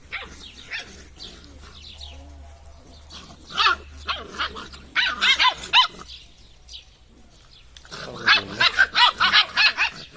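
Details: Drahthaar puppies being handled: bursts of rapid high yelping barks, a cluster mid-way and a quick run of repeated yaps near the end, with low handling noise and quiet pauses between.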